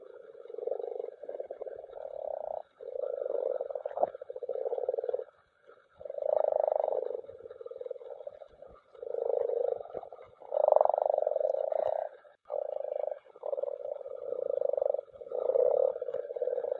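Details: Group of common frogs spawning in a mountain pond, croaking in overlapping bouts: low, purring, pulsed croaks that swell and break off every second or two and blend into a continuous chorus.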